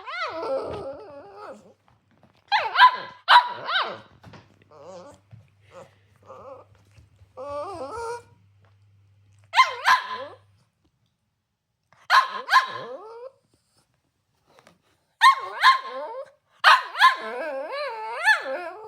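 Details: Cavalier King Charles Spaniel named Milk, furious because her breakfast was smaller than usual, lets out clusters of whiny, wavering yelps and sharp bark bursts, separated by short pauses, with quieter grumbling whines in between.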